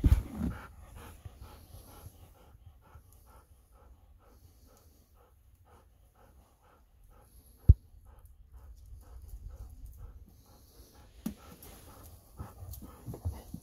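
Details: Golden Retriever back from an evening walk in the fields, panting in quick, even breaths roughly four per second for most of the stretch, with a sharp knock midway and faint rustling near the end.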